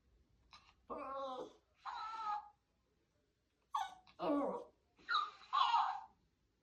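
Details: Frightened puppy reacting to a moving doll indoors: four short, tonal, harmonic yelping barks in two pairs, separated by a silent pause of about a second.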